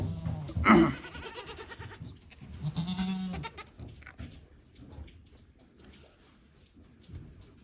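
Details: Goat at a handmade goat farm in Japan, 10 March 2024, with a one-year-old male and ten-day-old twin male kids crowding around a person; one short bleat followed by a lower, drawn-out bleat, with a man calling and talking nearby.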